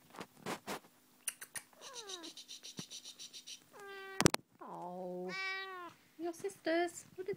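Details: Tonkinese mother cat with her kittens. Soft tapping and rustling at first, then a run of loud meows: a short flat one, a longer one, and several rising and falling meows near the end, with faint handling noises between.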